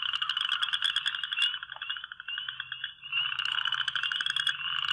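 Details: On the first day of spring, with rain and warm days forecast, western chorus frogs give rising, rasping trills of one to two seconds, like a fingernail run along a fine-tooth comb, amid a dense backyard breeding-pond chorus shared with spring peepers.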